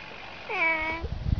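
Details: A house cat making a meow said to resemble "ne znayu" (I don't know). One clear half-second meow, rising slightly then level with rich overtones, followed by low thumping noise.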